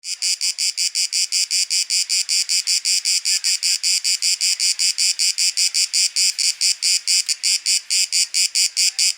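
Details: Cicada singing in Athens, Greece, in September 2023, field recording; a loud, high, buzzy pulsed rasp repeated rapidly, about two and a half pulses per second, steady and continuous with no other sounds.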